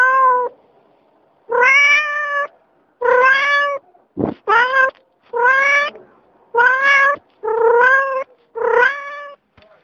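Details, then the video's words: Adult domestic cat giving a long series of about eight loud, harmonic meows, each under a second, spaced roughly a second apart, with a brief sharp click between the third and fourth. "The sounds cats: kittens, cat, cougar, tiger, lion"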